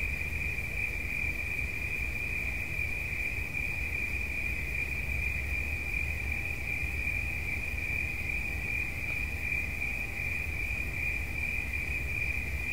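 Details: Cricket singing a steady, unbroken high-pitched trill that holds one even pitch throughout, over a low constant rumble of background noise.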